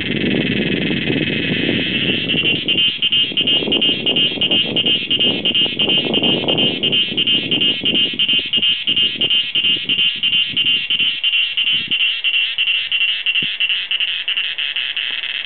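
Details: A cicada, given as Meimuna opalifera or Pompania sp., sings a loud, buzzy drone in front of a house at Doi Inthanon, pulsing about three times a second in a steady rhythm.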